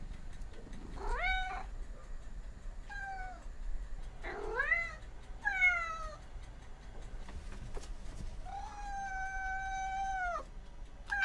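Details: Cat making varied meows: short rising cries, then one long, level, drawn-out wail near the end, over a low background rumble.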